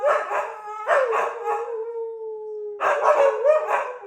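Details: Siberian Husky in a morning howling session: two rough, grunting bursts frame a long, smooth howl held on one falling then steady pitch for nearly two seconds.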